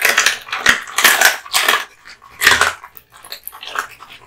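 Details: Raw meat and bone crunched by Kotetsu, a male American Bully (Pit Bull) born 8/8/2016. Loud, close crunching bites come in quick bursts about every half second, then fade to softer chewing.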